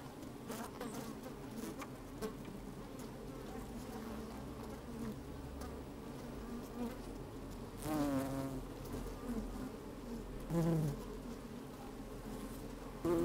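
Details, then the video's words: Working bees recorded with a microphone inside an opened hive on a fine, sunny day: a steady background drone, broken by a few louder individual buzzes that waver and slide in pitch, alongside faint scraping movement. "Open Beehive - One Hour Video and Audio"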